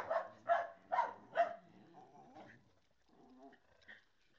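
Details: Small mixed-breed rescue dog Niko, found in Linares, lets out four loud evenly spaced barks about half a second apart, then trails off into soft whining murmurs and a faint high yelp.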